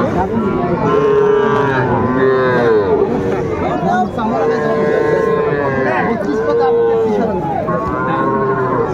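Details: Several small Sahiwal bull calves being sold to farmers near Dhaka, February 2025, call out in repeated rising-and-falling moos, one after another, over a steady murmur of male voices.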